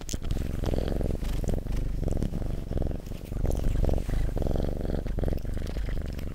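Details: Pet cat giving a strong, close purr, pulsing rumble broken into short bursts by each breath, roughly two per second, accompanied by faint rustling and clicks.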